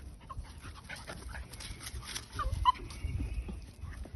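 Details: English Cocker Spaniel puppy named Arta at play, giving short high whimpering squeaks and soft yelps scattered through a few seconds, with faint rustling and handling noise underneath.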